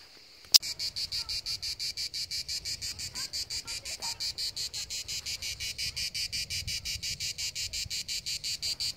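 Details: [1, 'Cicadas singing by the seaside: after a brief silence and a sharp click, a steady buzzing pulse starts and repeats several times a second in a high, even rhythm, with a faint low rumble underneath.']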